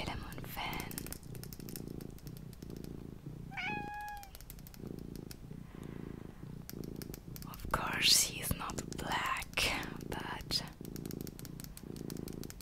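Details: Small pet cat purring indoors: a steady rumbling purr pulsing in regular bursts, with one short rising meow midway, under close whispered speech and soft rustling.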